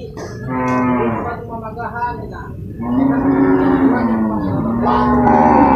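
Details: Water buffalo at the Purwakarta livestock market in Indonesia on 21 November 2022, amid loading and unloading of cattle and buffalo: several long, drawn-out, harmonic moans that rise and fall, overlapping, over steady crowd and market noise.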